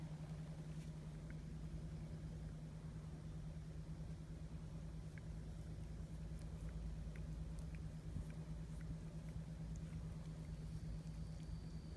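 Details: Low traffic rumble and a steady mechanical hum fill an outdoor urban scene, with a few faint ticks.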